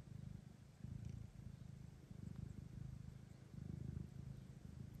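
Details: Domestic cat purring steadily in low, pulsing bursts with brief pauses; a lactating mother cat named Kira with her kitten while two blind orphaned kittens are brought to her for adoption; quiet indoor setting.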